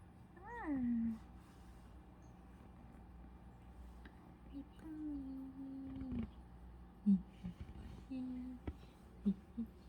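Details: A Shih Tzu who seems bothered by its mom gives a drawn-out, falling whine, then a lower grumbling moan and short yips.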